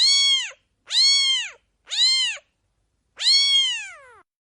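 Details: A baby cat mewing four times. The first three meows are short, arched cries. The last one is longer and slides downward as it trails off. The background is silent.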